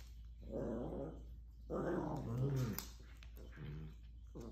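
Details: Maltese puppies play-fighting indoors: rough, rumbling growls in two long bursts, the second rising into a higher whiny snarl, followed by shorter grumbles and a final growl starting up.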